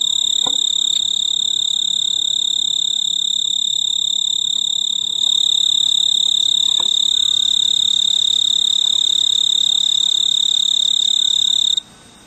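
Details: Snowy tree cricket, a male calling a mate from a purple clematis flower on a veranda in mid-August summer. Steady shrill tonal trill holds nearly the whole time, then stops abruptly near the end.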